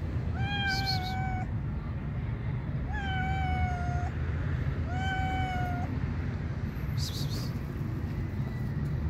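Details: Shy stray cat waiting to be picked up, meowing three times in long, clear, slightly falling calls about every two seconds, over a constant low rumble of traffic or wind.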